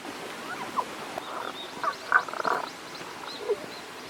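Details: Tago's brown frog calling from a stream in the Kanto region of Japan on 1 April 2021, the frog unseen: a few short, grating croak bursts clustered mid-clip, with quiet pauses between and faint high streaks in the background.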